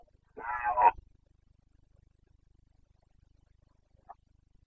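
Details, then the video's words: Wild Carpathian stag in the Bucovina mountain forests during the breeding season, 29 September 2022, giving a single short, gruff, rasping roar, followed by near silence and one faint distant call. "Boncănit / Carpathian stag Breeding season 29.09.2022"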